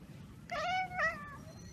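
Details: Cat chattering on spotting a bird or insect, a behaviour usually heard when it cannot reach the prey: two short, bright, tonal chirps, the second slightly rising, over a low indoor hum.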